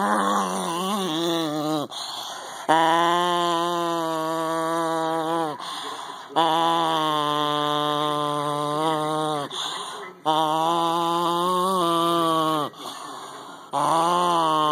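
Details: A Cairn terrier gives long, drawn-out growls with a moaning, voiced tone while being touched, each growl lasting several seconds.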